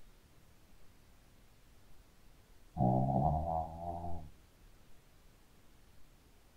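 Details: Pet Shih Tzu asleep and snoring: one loud, rasping, tonal snore of about one and a half seconds, wavering slightly in pitch, set against a hushed indoor background.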